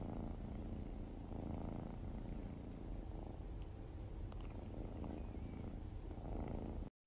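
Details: A kitten purring in a continuous low, rumbling drone that pulses gently and stays steady for several seconds, with a few faint clicks over it.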